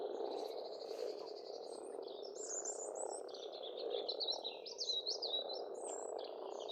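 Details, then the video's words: Frogs massed at an Estonian pond in spring give an unbroken grating croak chorus beneath a bird's repeated buzzy trill and a fluty, up-and-down warbling song. "Расслабляющее пение птиц и лягушек, весна"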